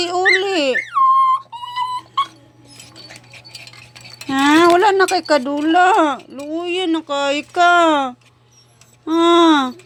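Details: A dog's mournful crying: loud, bending wails that rise and fall in pitch, coming in bursts. A few short, higher whines sit between longer moaning cries, separated by quiet gaps.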